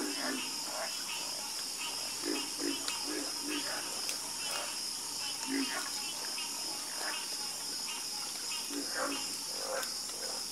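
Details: Chorus of frogs croaking: short low croaks repeating irregularly from several callers, over a constant high-pitched insect-like hiss and fainter scattered chirps.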